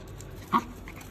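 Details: Husky puppies fighting: one short, sharp yip rising out of a quiet room, with a low steady hum behind it.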